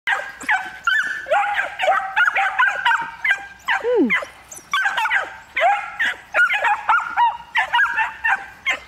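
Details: Three one-year-old miniature wire-haired dachshunds in preparatory hunting training, stimulated to bark: a dense run of high, ringing yelps and barks overlapping in quick bursts, with one sliding whine dropping in pitch midway.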